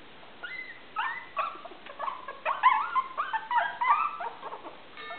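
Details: A litter of five 23-day-old Maltese puppies gives short, wavering whines and squeaks in uneven bursts, several voices overlapping, the calls getting busier toward the middle.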